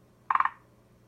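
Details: Forest green tree frog giving a single brief call of four quick, knocking pulses, mid-pitched and clucking, ending abruptly against a quiet backdrop with a low steady hum.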